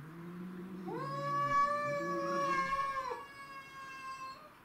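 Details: Domestic shorthair cats in a territorial fight: a low moan swells into a long, steady, high caterwaul with rich harmonics, lasting about two seconds over an underlying lower growl. It breaks off, then a quieter sustained wail follows.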